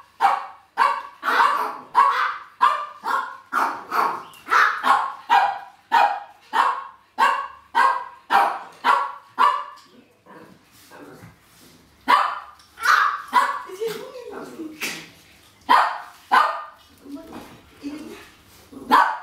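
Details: Pekingese dogs, among them a 16-year-old dark brown female and a 14-year-old black sleeve Peke, barking while waiting for food at home; sharp yappy barks in rapid runs of about two per second, a brief whine and softer yips midway.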